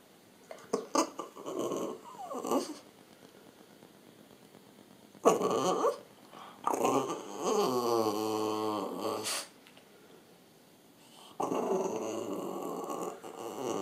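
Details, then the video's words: A French Bulldog talking to the camera with several separate growly, groaning outbursts between quiet pauses, one drawn-out warbling moan wavering in pitch, and a final long grumble. "French Bulldog talking to camera"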